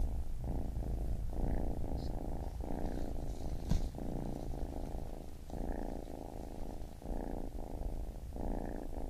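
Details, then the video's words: A baby kitten purrs in a close, continuous low vibration, clearly split into alternating breath phases of one to two seconds each, with faint light clicks above. "Baby Kitten Purring"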